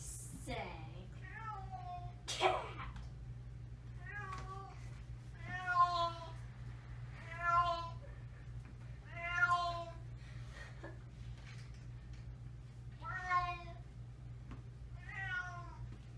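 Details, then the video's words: Unhappy domestic cat at the vet for a yearly checkup, meowing repeatedly indoors: drawn-out, wavering harmonic meows falling in pitch, about one every two seconds, over a steady low hum. "Boo didn't like the Vet"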